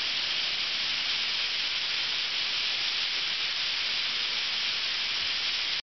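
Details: Summer cicadas by the thousands at Ryokuchi park in North Osaka keep up an intense, uniform buzzing hiss that runs unbroken until it cuts off abruptly at the very end.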